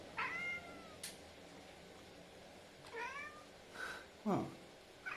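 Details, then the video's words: Male tuxedo cat calling on seeing his owner through a window after not seeing her for a long time; clear rising-then-falling harmonic meows, two main calls about three seconds apart, with short clicks and knocks between, in a quiet room. "tuxedo cat makes noises when he sees his mum threw the window"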